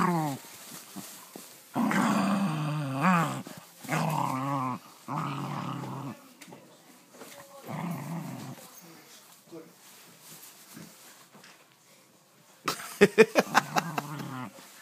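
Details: Dog at play with its new toy gives warbling, wavering growls in several bursts during the first half. A human voice is heard briefly, then sharp clicking taps close the recording in a small room.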